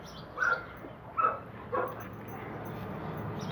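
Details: Red-nose pit bull Oscar kept apart from the chocolate red-nose Müdür during a mating meeting; three sharp, yipping barks roughly 0.7 seconds apart, then a steady background hum.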